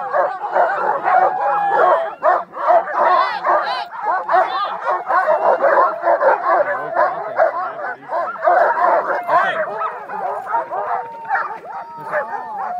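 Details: Many sled dogs in Utah, ready for dog sledding, raising a loud, nonstop clamor of overlapping barks, yips and whines, with rising whimpered notes and some human speech in the background.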